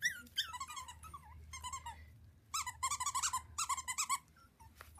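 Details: A litter of Havanese puppies crying together indoors: rapid overlapping squeals and whimpers, falling and wavering, rising into dense bursts of repeated high yips with short pauses between volleys.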